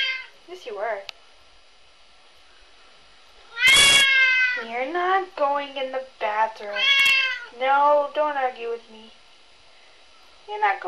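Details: Bored three-year-old red point Siamese cat meowing indoors: a run of about eight loud, rising-then-falling harmonic meows close together, with a sharp click and a few soft chirps before them, and a woman speaking to him.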